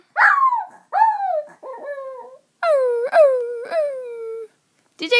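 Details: A pet dog about one and a half years old howls while its owner repeatedly calls another dog. The howls are drawn-out, falling, harmonic wails, some bending up then down, mixed with the owner's loud calling voice.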